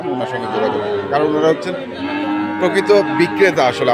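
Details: Sahiwal bull calves at the Ambari cattle market in Dinajpur on 6 November 2023: a long, steady, low moo holds for over a second amid the constant chatter of a crowded market, with men's voices and brief music.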